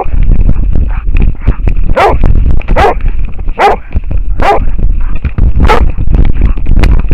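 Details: An American foxhound bays at a wild boar, filmed from a camera harness: five or six strong, rough barks spaced under a second apart, with softer yips between and deep rumbling movement noise underneath.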